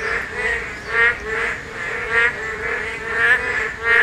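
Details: Korean narrow-mouthed toads calling during spawning, the only season they are heard; soft, nasal harmonic calls overlap in a steady chorus, swelling roughly twice a second with a faint hiss underneath.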